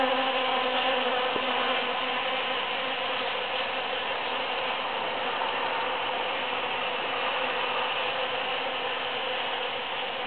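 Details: Foraging bees among huge cactus blossoms after the June 22, 2013 Super-Full Moon produce an unbroken, layered drone of many wings, steady in loudness, with one brief click early on.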